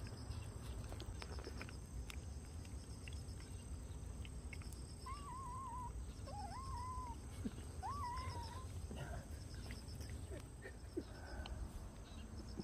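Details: A yellow stray cat called Noran-i (Yellow) that comes to a yard to eat and is secretly offered a Churu treat gives three wavering, slightly rising meows, each under a second. Steady high insect chirring and low rumbling noise run underneath.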